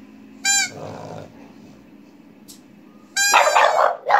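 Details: French Bulldog Asya, a pet dog, barks along to a toy pipe: a short high steady pipe note, then rough yelping bark sounds; a second pipe note soon turns into a dense, noisy burst of barking.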